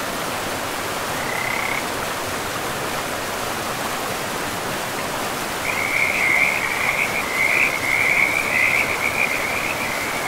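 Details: Frog near a forest river giving one brief pulsed trill early on, then a long run of louder, rattling trills for about four seconds. A constant hiss of flowing water fills the background.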